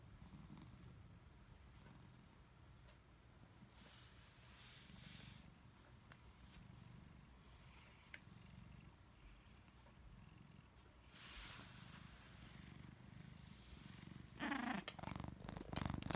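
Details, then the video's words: Napping domestic cat snoring indoors, a soft low rumbling breath sound repeating rapidly and steadily, growing louder with rustling bursts near the end as the cat wakes up from its nap. "snores and wakes up from his nap"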